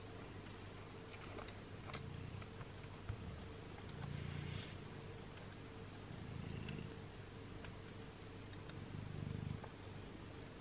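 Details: Mother cat washing her six-day-old kittens; low rumbling purrs come in bursts about every two and a half seconds over a steady room hum, with faint soft clicks between.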